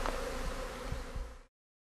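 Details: Honey bee colony swarming on the move at a visitor centre in Britain, cared for by a local beekeeper; a continuous low drone of many wings with a few soft thumps, cutting off abruptly near the end.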